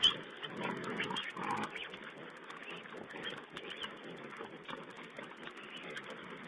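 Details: Feeding wild boar piglets at a webcam site, 16 April 2010. Busy low grunting and snuffling with a louder squealing burst near the start, then steady overlapping grunts and rustling, heard through a muffled, band-limited stream.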